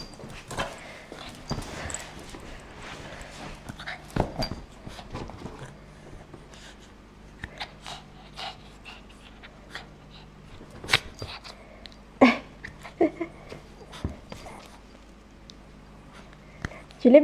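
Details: Zara, a Shih Tzu, indoors playing with her new octopus toy: irregular snorts and panting bursts over quiet room noise, with a couple of brief squeaky whines near the end.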